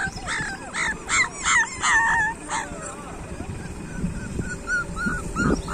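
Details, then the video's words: Street dog puppies whimper and yelp in a run of high, bending cries, several clustered in the first three seconds, then softer scattered whines over a low rumbling background. "street dog puppies"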